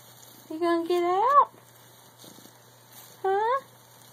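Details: Male pet cat called Tiger, stuck inside a bag and trying to play with his family through it, gives two rising, harmonic meows separated by a pause: the first long and climbing sharply at its end, the second short and upturned.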